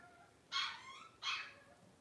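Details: Two bright, high-pitched squealing whines from twelve-day-old blenheim Cavalier King Charles Spaniel puppies, one of a litter of five, spaced under a second apart over a quiet background.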